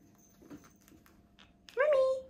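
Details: Pet cats Mouse and Remi, excited indoors as tuna, their favourite treat, is offered; one loud drawn-out meow with a clear tone that dips slightly then holds steady, coming after soft human speech in a small room.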